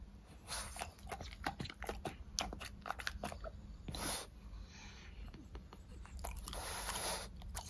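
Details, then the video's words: French Bulldog eating fruit snacks such as strawberry and apple indoors, with close, crisp crunching and biting bursts coming in quick irregular runs, plus a few softer wet chewing pauses. "Dog Eating Fruits - French Bulldog ASMR"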